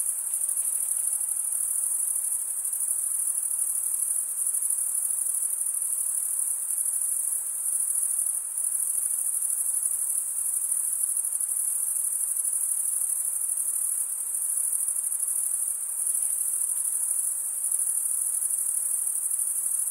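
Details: Chirping crickets form a constant, piercing high trill, even and unvarying from start to finish, with a quiet, clean background free of other sounds.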